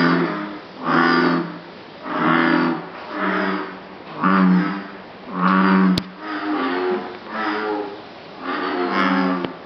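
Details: Bullfrogs croaking at Jurong Frog Farm in Singapore, perhaps a mating display: a steady series of eight deep, throbbing calls, roughly one per second, with a couple of sharp clicks partway through.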